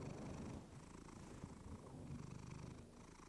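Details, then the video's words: Steady close-up purr from a pet cat named Clementine, recorded on a fluffy mic: continuous low vibrating rumble with fine rapid pulsing and no pauses. "Cat purring you to sleep with fluffy mic"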